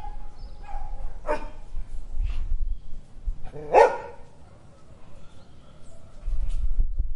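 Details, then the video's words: Dog in an urban garden in Brazil, giving a sharp bark, a louder bark a couple of seconds later and fainter short yelps, all over a steady low rumble of traffic. "Dog Sounds"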